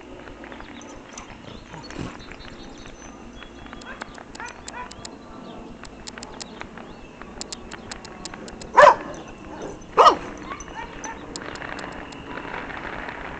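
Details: A dog barking during fireworks: two loud, sharp barks roughly a second apart late in the clip, standing out over steady crackling and popping of firecrackers and a low background hum.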